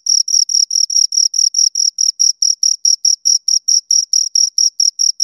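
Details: Crickets, two of them, chirping in a very regular series of short high-pitched rasping pulses, about four per second, loud and close against silence.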